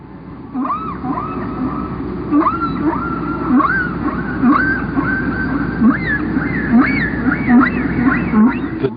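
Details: Humpback whale song, patterns lasting about 15 minutes before repeating: drawn-out tonal moans and swooping upsweeps repeating in a slow, flowing phrase.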